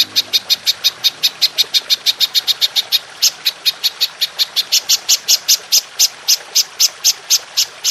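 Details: Golden grasshopper (belalang emas) in a long-burst 'nembak panjang' master recording for training songbirds: rapid, regular, high, crisp chirps repeated about four per second, steady throughout, with faint background hiss.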